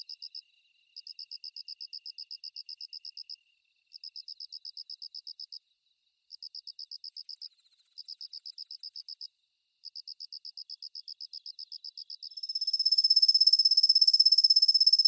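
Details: Svistella bifasciata, the kusa-hibari cricket, known to call mostly at dawn and through the morning; high pulsed trills in phrases of one to three seconds separated by short pauses, then a sustained dense trill, with a brief higher hiss midway.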